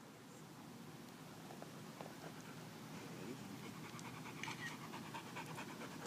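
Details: Dog named Sasha panting at a dog park on a sunny Saturday, playing by chasing tennis balls and running through a tunnel; steady rapid breathing rhythm under broad outdoor background noise.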